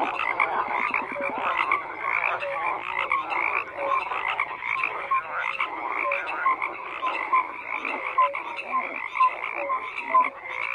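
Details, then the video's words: Frog chorus with many callers croaking simultaneously, a steady wall of raspy pulses dotted with brief clear notes, a quick rattling trill near the start. "FROGS CROAKING"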